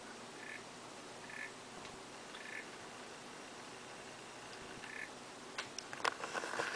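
African clawed frogs give short, faint metallic ticking trills, repeated every second or so.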